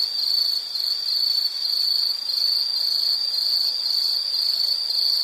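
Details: Insect calling in a relaxation nature recording, an unbroken shrill trill at one high pitch with slight regular pulsing, steady loudness, nothing else audible.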